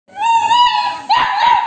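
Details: Labrador puppy asking for food and arguing with her owner indoors: a long, steady, high whine held for about a second, then a second whine that rises sharply and wavers, both with bright overtones.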